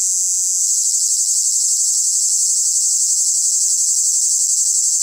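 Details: A male cicada stridulates at full volume, cymbalising to attract females. It makes an unbroken, shrill buzz, steady in pitch and loudness, with a fast, even pulsing inside the drone.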